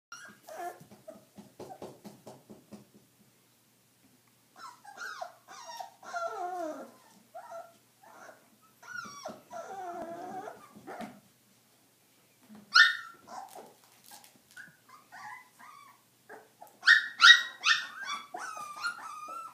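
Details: Stabyhoun puppies at 22 days old, indoors; several pups make thin whining whimpers and squeaky yelps, some wavering and falling, in irregular bursts with short pauses, louder high squeals near the end.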